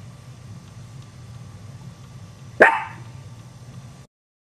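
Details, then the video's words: A single loud, sharp dog bark rings out and trails off over a low droning background, near Chihuahua puppies that are startled by the sound. "Chihuahua Puppies Startled By Dog's Bark"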